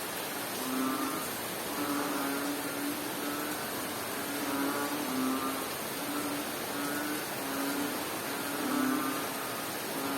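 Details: Frog in Bohol, Philippines, calling through a rain shower. Low, humming tones come in a regular series, roughly one per second, some slightly longer and dipping. Constant heavy rain noise fills the background.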